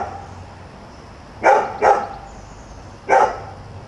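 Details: A newly arrived neighbourhood dog barks at 7 a.m., a nuisance to nearby residents: a quick pair of short, sharp barks, then a single bark just over a second later, over a low continuous background hum.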